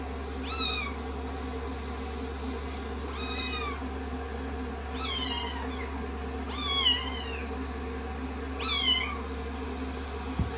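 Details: Rescued kittens on a lap on day 16 of their growth record, being blow-dried after a shampoo: five high, thin meows, each rising then sliding down, spaced about two seconds apart over a steady hairdryer hum.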